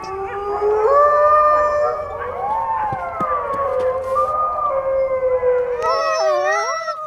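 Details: Wolves howling together: several long, sustained tones glide slowly up and down and overlap, and a fresh set of higher voices breaks in near the end.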